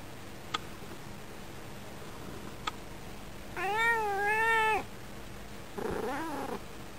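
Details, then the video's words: A female domestic cat sits at a window watching birds. After two faint clicks she gives a drawn-out, wavering meow, then a shorter second meow. She often chatters at the birds, and her voice changes and mixes with purring when stroked. "猫の声、ゴロゴロニャー - Purr and meow voice of my cat."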